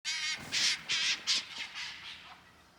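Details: Two red foxes behind a house in Kijimadaira, Nagano, Japan, possibly fighting or playing (unclear), give a run of harsh, raspy shrieks fading over about three seconds; one later chases the other.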